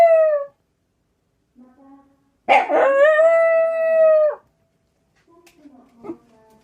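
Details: Howling black Shiba Inu reacting to a junk collection truck going by: the tail of one howl, a brief low whine, then a rough-onset, sustained clear howl, followed by quiet whimpers and a short yelp.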